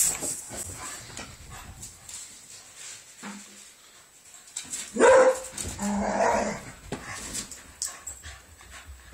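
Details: Spaniel and Beagle playing together indoors: quiet shuffling and rustling, then one sharp bark midway followed by a rougher, grumbling vocal burst, under a faint steady high-pitched hum.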